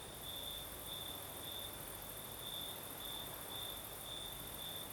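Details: Crimean night crickets, southern coast, breeze blowing: clear high chirps repeating about twice a second in an uneven rhythm, layered on a soft steady hiss.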